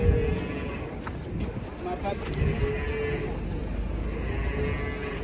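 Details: Cattle being loaded onto a truck give drawn-out, low moos that rise and fade over a rumbling, noisy background, with handlers' voices faintly nearby.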